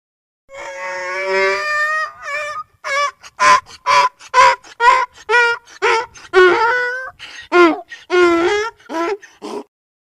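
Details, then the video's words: A donkey brays, opening with a sustained, harmonic honk and then rocking into a string of loud, rhythmic hee-haw pulses about twice a second before falling quiet. "donkey sound||funny donkey sound"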